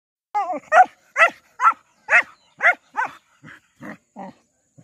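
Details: Saint Bernard playing with local dogs: a run of nine sharp barks about every half second, opening with a wavering whine-like yelp and fading toward the end. The setting is otherwise quiet.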